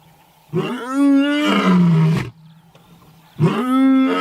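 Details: Lion roaring: two loud, harmonic moaning bursts, the first holding a steady low pitch for about two seconds before dropping off, the second starting after a short quiet gap.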